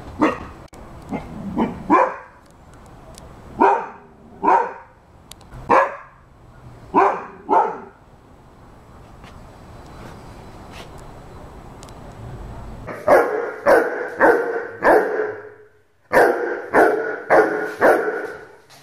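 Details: Rhodesian Ridgeback dog barking on command: loud, deep barks in pairs and short runs, a pause near the middle, then rapid bursts of four or five barks in quick succession.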